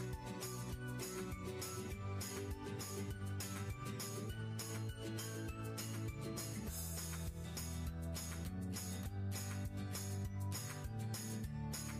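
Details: Bright instrumental music with jingling bell-like notes plays throughout, with no animal voice present.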